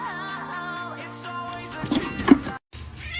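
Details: A short snippet of pop music with a sung melody and sustained tones, ending in a brief silent gap before the music resumes.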